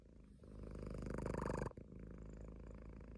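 A Munchkin cat purrs in a low, steady rumble that swells and then softens.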